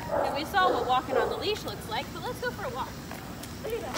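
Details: Liebe, a Shepherd mix dog in training, whining and yelping in rapid bursts, about three per second, with wavering arched notes that climb then drop, loud at first and softer later, over constant low rumble.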